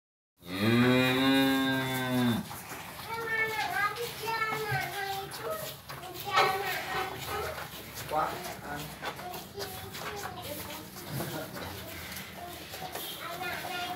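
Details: Newborn Limousin calf, five minutes old and looking weak, gives a long, harmonic, nasal moo lasting about two seconds, followed by fainter repeated calls mixed with people talking in the background.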